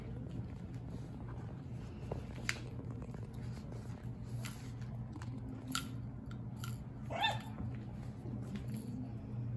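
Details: French Bulldogs from the Fanya x Prince litter playing together indoors: scattered short barks and sharp clicking bites, with one louder rising yelp near the end, over a steady low electrical hum and rustling.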